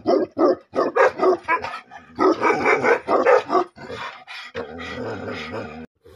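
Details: Bhote Kukur, the Tibetan Mastiff, barking angrily in rough, dense bursts packed close together, with a short gap in the middle. It ends in a longer, noisy, strained stretch.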